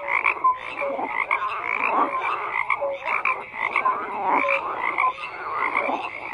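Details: Many frogs croak together in a dense, continuous chorus: overlapping raspy croaks pulse in irregular bursts, with short clear whistled notes slipping through at mid and higher pitches and no other sounds standing out.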